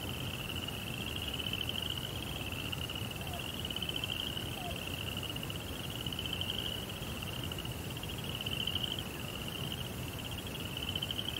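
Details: Night crickets in a Zen rock garden beside a koi pond, trilling in rapid pulsed bursts of about one to two seconds with brief gaps between them, high and steady in pitch, above broad low background noise.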